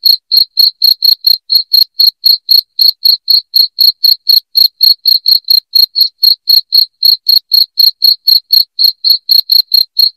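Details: Continuous shrill cricket calling, presented as a sound for chasing rats from the home. Crisp high-pitched pulses come about four per second without a break throughout, over dead silence.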